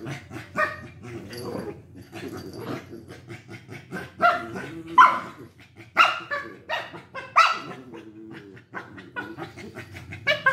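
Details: Lhasa Apsos Bruno and Mars in a fight, giving sharp, high yips and barks roughly once a second over a low rumbling growl, with several strong bursts in the middle.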